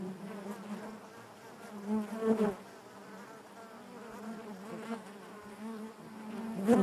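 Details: Inside a honey bee hive, a dense continuous drone hums low and even, with brief louder surges around the second and seventh seconds as bees move nearer.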